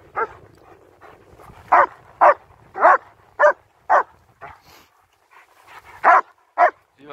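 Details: Two German Shepherds, Nico and Zeeva, on a winter walk in Hawick, Scotland, recorded with a Samsung S23 Ultra phone; around a dozen loud, abrupt barks at uneven intervals, separated by near-quiet pauses with faint outdoor background.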